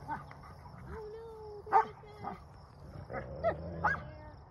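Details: Two wolfdog pups settling a dispute over an object: soft low growl beneath drawn-out whines and a few sharp yips, quieter and sparser than before.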